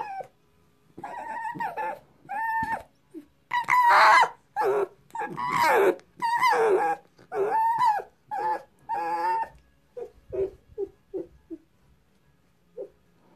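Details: Nervous pet fox, awake and refusing to be touched, squeals loudly in a string of strained, wavering, whining cries, then fades into short, softer yelps, indoors.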